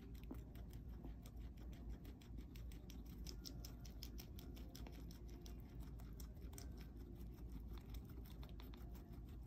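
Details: Pet guinea pigs Marcel and Van Gogh eating breakfast, giving dense, quick crunching and nibbling ticks in an unbroken run, close and soft, over a faint low room hum.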